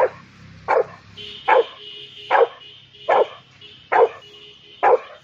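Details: An angry Rottweiler, reacting to a cow, barks in single deep, rough woofs, roughly one every second.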